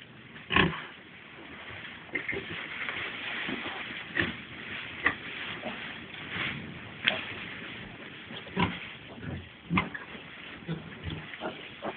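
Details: Four-day-old piglets suckling, giving short, broad grunts at irregular intervals, some louder and sharper than others, over a steady murmur of softer grunting.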